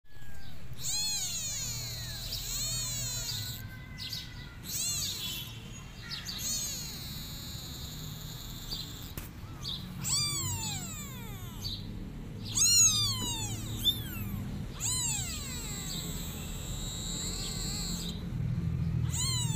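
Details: Kittens meowing and crying, calling their mother cat as she runs away from them; high, arching, harmonic meows come in overlapping bursts, several in quick succession around the middle and again near the end, over a steady low rumble.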